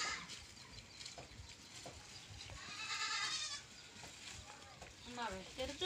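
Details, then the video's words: Farm goat giving a drawn-out wavering bleat in the middle, then a few shorter rising bleats near the end, with people talking and general background noise. "BAKRI ki awaaz"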